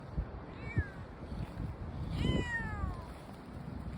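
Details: Brown tabby tomcat outdoors, thought to have wandered about a kilometre from a shrine, gives two drawn-out descending meows, the second longer and clearer, over low outdoor background noise.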